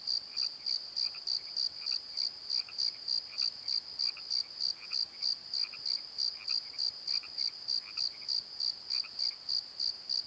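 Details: Crickets calling at night in a valley bottom near a tree at Pozo: a steady high chirp pulsing about three times per second, with fainter, lower croaking frog calls scattered through the background.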